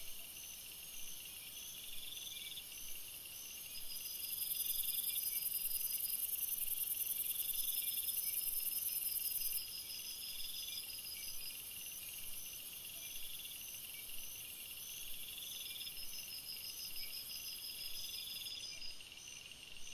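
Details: Forest crickets at night: high, ringing trills and rapid pulsed chirps overlap in a constant chorus; a piercing upper tone grows louder for several seconds mid-recording, then fades away.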